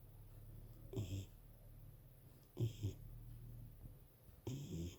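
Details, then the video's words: A pet dog snoring loudly indoors; three low, rumbling snores come in short bursts about every two seconds over a steady low hum. "My dog snoring so loud..!"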